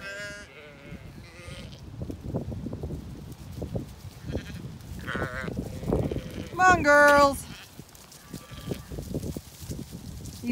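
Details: Zwartbles ewes on a regenerative farm in County Kilkenny, Ireland, being called to move up to a sheltered orchard; a few wavering bleats rise over a woman calling "come on girls", with footsteps and rustling throughout.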